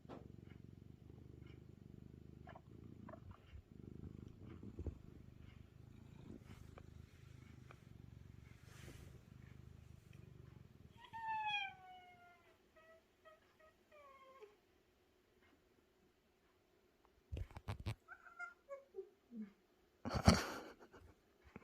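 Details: A friendly male feral cat purrs while being petted, meeting a house cat for the first time. A low rumbling purr fills the first half, then two short falling tonal calls follow, then scattered clicks and rustling.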